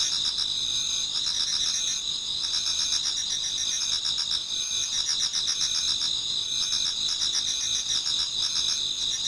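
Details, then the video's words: Autumn insects in a Japanese garden towards dawn, many singing at once: continuous high-pitched trilling with rapid pulsed chirps about four per second over a constant ringing drone. "Autumn Insects voice Towards dawn"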